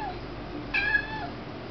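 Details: Indoor kitten calling at little bugs on the ceiling: a single clear meow, bright and briefly held then dropping, against faint low room noise.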